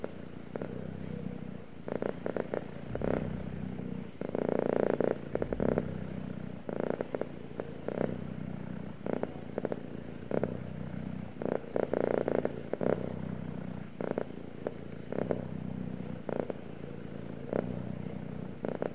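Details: Male domestic cat purring steadily, a low rumbling vibration that swells into brief louder bursts every few seconds with each breath, alongside soft clicks and a faint constant background hum.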